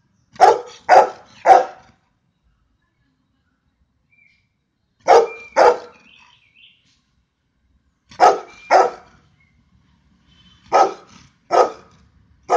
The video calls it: Louis barking part 2! (Golden retriever)